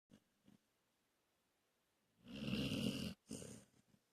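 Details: Dog snoring during a nap indoors: two faint soft snuffles, a pause, then a long rough rasping snore lasting nearly a second, followed by a shorter raspy breath.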